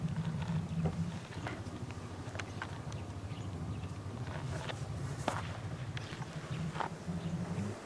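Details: Two-year-old female polar bear Lila at Maruyama Zoo in Sapporo, Japan, on 19 January 2017, begs her mother Lara to nurse. A steady, deep, throbbing hum runs throughout, with sharp knocks and clicks scattered over it.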